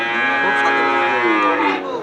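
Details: Dairy cow at Bakiyar Dairy Farm, where 14-litre milkers and pregnant cows are sold: one sustained, richly harmonic moo filling two seconds, holding a level pitch with a slight dip near the end.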